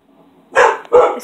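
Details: Dog reacting to thunder and loud noise, giving two loud rough barks in quick succession about a third of a second apart, after a quiet lead-in.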